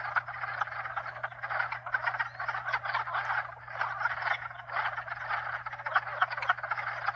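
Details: Nighttime-style frog chorus blending calls of at least two different species, perhaps four: steady rattling croaks and trills with pulsing surges in loudness, over an unbroken low hum from hot tub pumps.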